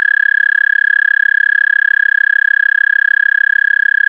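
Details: American toad recorded with an amplified mono parabolic microphone feeding a DSLR camera: a loud, steady musical trill near one pitch, rapid pulses about 222 per minute, sustained throughout with no other sounds.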